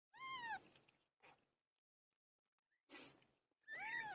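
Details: Pilo the cat meowing during birth: a clear arched meow, a short soft sound, then a noisy burst and a second loud rising-falling meow at the end.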